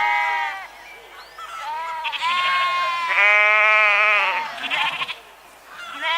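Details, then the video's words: Sheep bleating: several harmonic, wavering baas overlap, one long sustained bleat in the middle, with shorter cries before and after, as if more than one animal is calling. "Ovelhas - Som da Ovelha - Ovelha Berrando"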